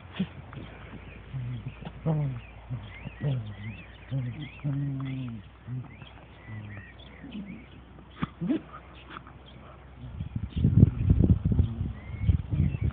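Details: Dandie Dinmont Terrier mother named Lady playing with her puppies and other dogs; low, rumbling growls come in short repeated bursts through the first six seconds, followed by loud scuffling and rustling, with faint high chirps of birds above.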